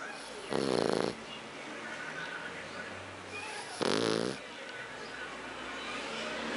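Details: Héron, a sleeping French Bulldog, snoring: two loud, harmonic-rich rasping breaths about three seconds apart, each lasting roughly half a second, with quiet background noise between them.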